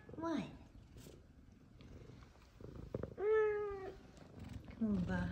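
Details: Two F2 Savannah cats, described as very happy, indoors with their owner: a falling meow, then a longer steady drawn-out meow and a short rising-falling one, with a woman speaking softly and affectionately throughout.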